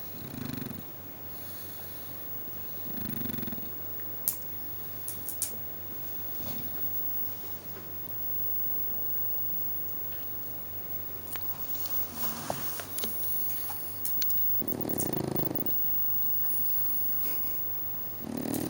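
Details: Pet pug lying lazily and snoring loudly, low rumbling snore bursts about every three seconds early on, then a long quiet stretch with small snorts and clicks before louder snores return near the end.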